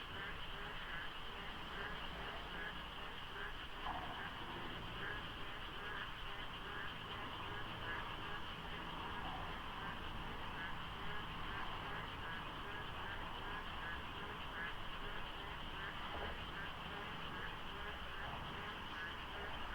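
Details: Dawn frog chorus during the rainy season near Deokso IC on the expressway, in light fog with sparse traffic. Countless overlapping calls form a steady wall of rhythmic croaking pulses, numbers impossible to tell, with a low background rumble.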